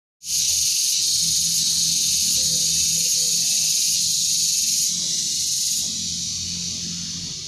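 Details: Cicadas fill the air with a steady, high, hissing buzz that never lets up, on a sunny day in a beekeeping area.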